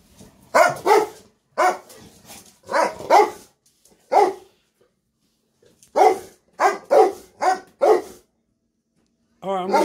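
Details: Two Rottweiler cross Presa Canario dogs barking excitedly at feeding time, waiting for their food: loud, sharp barks in irregular bursts, some doubled or in quick runs of three or four, with gaps of quiet between and a brief high whine near the end.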